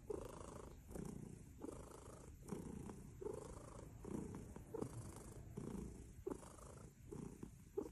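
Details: Purring kitten from a funny baby cat compilation: a low, grainy rumble pulsing steadily in breath-length waves, roughly every second and a half, recorded very close.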